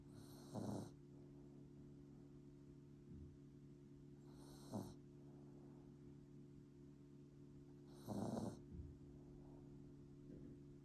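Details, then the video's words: A sleeping Bichon Frise puppy snores in rough, breathy bursts about every three to four seconds, some followed by a softer short snort, over a steady low electrical hum. "코골면서 자는 비숑 강아지 bichonfrise puppy snoring"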